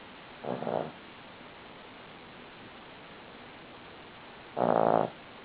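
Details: Sleeping Cavalier King Charles Spaniel snoring: two rasping, harmonic breaths about four seconds apart, the first softer and short, the second louder, over a steady low hiss.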